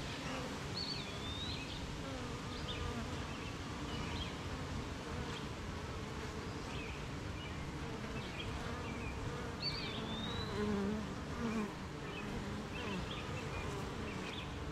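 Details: Many honey bees droning at a hive after morning rain, in country with gardens, farms and fields nearby. The low, even buzzing never pauses, and brief high birdsong notes come and go above it.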